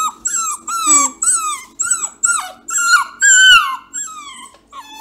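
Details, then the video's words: Male purebred Bluetick Beagle puppy, very vocal, howling at his owner and acting saucy: a string of about eight loud, drawn-out, wavering yowls, each one bending downward at the end, with short gaps between them. "Vocal Bluetick BEAGLE PUPPY"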